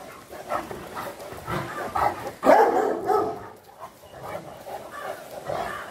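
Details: Dogs, a pair of Fila Brasileiro brothers together with a Great Dane, giving irregular rough barks and yelps over six seconds, with one sharp, louder bark near the middle and softer grumbling in between.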